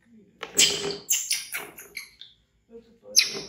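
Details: Frightened of a crocodile, orphaned baby monkey Bean screams loudly and runs to hug a chair; rapid, piercing, strained shrieks tumble in a quick series, pause briefly, then one more sharp shriek bursts out.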